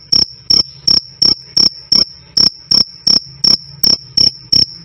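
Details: Shrill cricket krik-krik, loud and clean, each piercing chirp separated by short gaps at just under three per second. Recorded to serve as a model sound for singing birds; no other noises.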